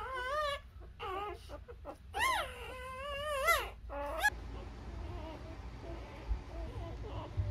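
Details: Newborn Labrador Retriever puppies feeding from their mother, with a few seconds of high, quavering whimpers and squeaks followed by quieter shuffling and soft suckling noises.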